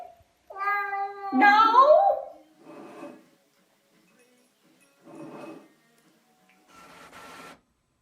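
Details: Domestic cat giving a loud, drawn-out wavering meow that rises then falls, followed by softer short noisy sounds, with music playing faintly in the background.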